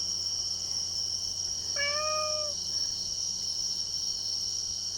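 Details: Domestic cat at a campsite at night, meowing while hungry as someone has nothing to feed it; one drawn-out, slightly falling meow against a constant high-pitched whine.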